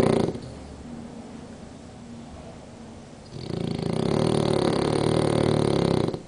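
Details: French Bulldog at nap time with one eye open, breathing quietly for about three seconds before one long, loud, rattling snore that lasts nearly three seconds and then fades.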